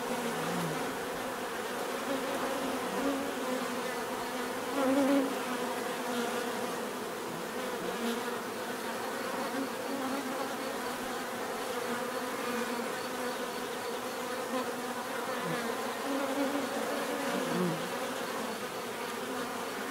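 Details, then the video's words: Continuous buzzing of many bees, a thick low drone with rising and falling individual wingbeat tones as insects fly by, including a louder close pass near five seconds. "bees therapy relaxing natural buzzing sound"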